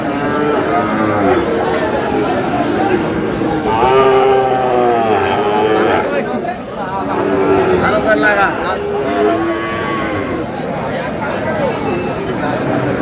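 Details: Sahiwal bull calves at a Bangladeshi cattle market on 21 April 2026, bought by a Noakhali farmer: several overlapping harmonic moos, some bending upward, repeated through the stretch over a constant crowd murmur and men talking.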